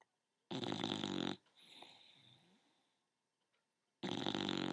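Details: Sleeping bulldog aged ten months, snoring indoors: a loud grating inhaled snore, then a long soft whistling exhale fading out, and another rasping snore beginning about three seconds later.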